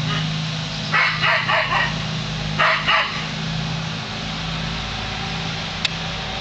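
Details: Lasky the dog barking at a passing hot air balloon: a quick run of three barks followed by a tight pair, all over a continuous low rumbling hum.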